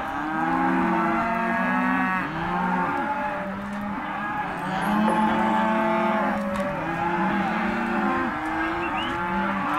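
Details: Group of Hereford and black-faced crossbred calves at auction, bawling constantly: dense overlapping moos of varied length, some short and flat, others long and arched, swelling slightly mid-recording.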